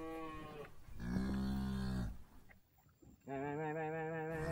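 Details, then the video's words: Tame cattle called using salt water: several overlapping lowing calls at low volume, one after another with a brief lull between them. "Suara Sapi"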